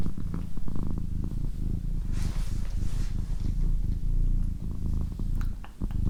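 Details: A female house cat purring in a low, even drone, with brief breathy hiss-like noise near the middle and occasional soft taps.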